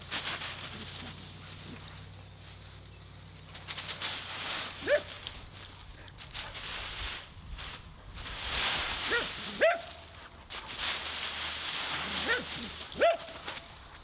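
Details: Husky named Nora romping in a leaf pile: steady dry leaf crunching and rustling, broken by three single yappy barks spaced a few seconds apart.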